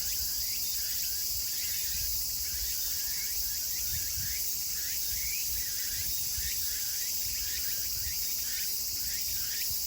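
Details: Meimuna opalifera cicadas singing together in Kawagoe, Saitama Prefecture, Japan, 24 August 2020, as summer turns to autumn; a continuous shrill buzz with rhythmic hooked chirps repeating several times per second, faint low background noise.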